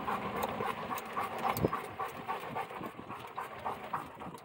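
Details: Central Asian Shepherd dog on a diet panting rapidly and steadily, about three to four breathy huffs per second, with a soft rasping texture and faint background hiss.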